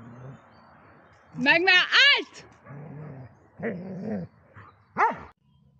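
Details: Eleven-year-three-month-old Dobermann Magmar Von Der Burgstätte letting out a quick run of pitched, rising-and-falling barks, then a lone sharp bark later, with human voices murmuring between them.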